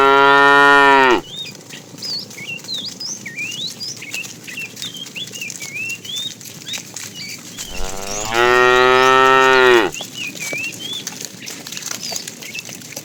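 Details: Tame cows herded each morning toward green grassy pasture: two long, rich moos, one at the start and another around eight seconds, separated by a stretch of lively bird chirps.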